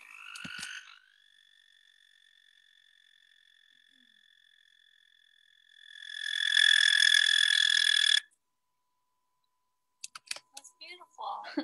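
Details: American toad males, standing up tall and puffing out their throats, sing to attract mates: a faint steady trill for several seconds swells into a loud, even, high-pitched trill that cuts off abruptly, followed by brief speech.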